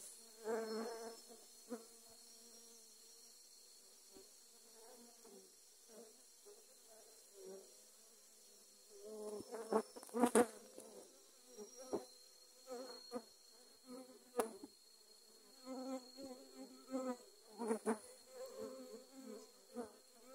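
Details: Dwarf honey bees attacking in Thailand while grass was being cut; low droning wing buzz with steady harmonic tones, swelling and fading in irregular bursts, louder clusters near the middle and end.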